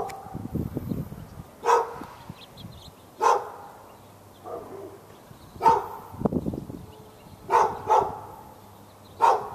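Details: Fenced dog in Raleigh, North Carolina, barking for hours at the neighbour's dog and any other dog within earshot, February 15, 2012; about seven barks, some single, some close pairs, with brief low rustling noise between.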